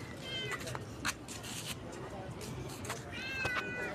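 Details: Office cat out on the street at midnight, being called back and fed biscuits bought from a shop; two short, bright, slightly falling meows, one near the start and one near the end, while a man talks softly.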